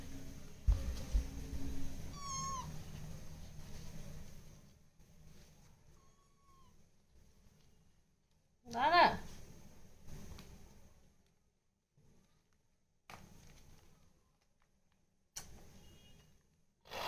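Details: Naughty domestic cat, handled indoors for drying instead of a bath, makes a short wavering meow early on, then a loud strained meow halfway through, with a person talking before, quiet gaps and a few clicks.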